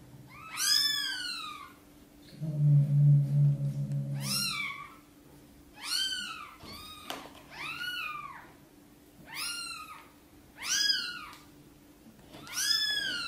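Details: Sonny, a domestic mother cat, meows gently to ask for help moving her tiny kittens into the nest; six rising-falling meows at uneven intervals, with a low rumbling sound early on and a steady background hum.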